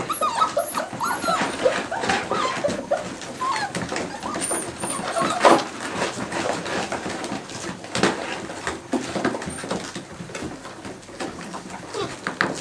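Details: Seven-week-old Cardigan Welsh Corgi puppies at play indoors, giving scattered short whimpers and high yips in irregular bursts, with rustling, household clatter and a little human speech underneath.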